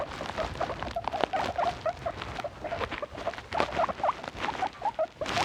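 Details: Pet guinea pigs making short, thin, tonal squeaks at irregular intervals amid steady rustling and patter from bedding or movement.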